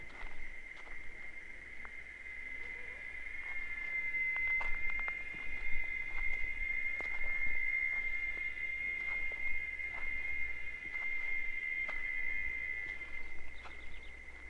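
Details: Cicadas in natural Caatinga scrubland of the Bahia sertão, Brazil, singing a continuous high, even drone, while scattered sharp clicks and taps sound over it and a low rumble sits underneath.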